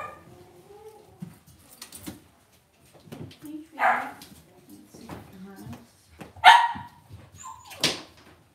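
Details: Cavalier King Charles Spaniel puppies kept in a home puppy pen let out scattered short, sharp yaps and a squeaky whimper, while people talk softly nearby.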